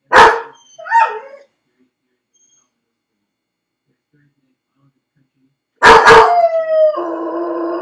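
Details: Crated alone at home, the dog Felix barks twice and yelps early on, then after a long quiet spell barks sharply and slides into a drawn-out crying howl.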